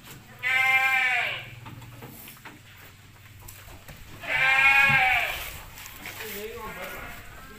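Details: Peranakan Etawah goats in a farm pen. Two strong, tremulous bleats of about a second each sound several seconds apart, with a quieter goat call and low background rumble between them.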